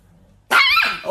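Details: Chihuahua from a funny dog compilation giving one sharp, high-pitched bark that starts abruptly after a moment of quiet, with a faint trailing yip.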